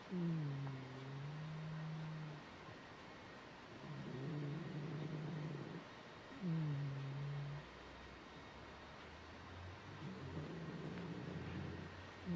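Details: Hikari, a 14-year-old female Shiba Inu weighing 7 kg, sleeps in front of a fan heater, sharing the warm spot with a cat. Low, droning snores come in long rhythmic breaths, roughly four across twelve seconds, with a steady background hum.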